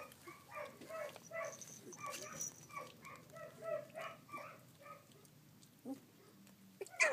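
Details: Collie puppies sixteen days old, filmed 3 June 2013, giving a busy run of short, overlapping squeaks and yelps, several high-pitched with clear harmonics, ending with a sharper cry.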